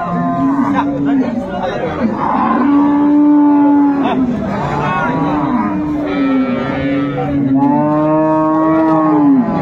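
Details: Improved-breed dairy cow with her calf at Ambari market, Dinajpur, Bangladesh, on 22 April 2024: long, steady, low lowing moos, several in a row, with market voices and chatter behind.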